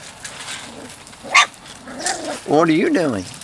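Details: Three-to-four-week-old Weimaraner x Vizsla pup of Biscuit's litter gives a drawn-out, wavering whine that rises and falls over under a second, after soft clicks and a brief scratchy noise.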